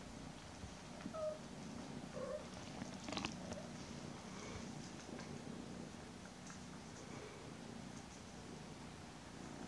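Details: Domestic mother cat hugging her two kittens, almost ten weeks old, purring: a soft, steady low rumble that runs through the whole stretch, with faint rustles and small clicks over it.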